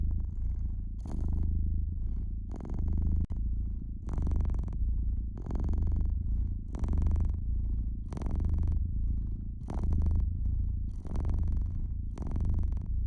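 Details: Fireside domestic cat giving a rich, unbroken purr that waxes and wanes about every one and a half seconds, accompanied by frequent crackling bursts from the hearth.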